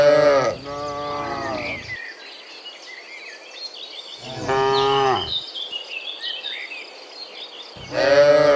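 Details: Morning herd of dozens of cows heading back from the field to the pen; three deep, harmonic moos spaced several seconds apart, with birds twittering between them.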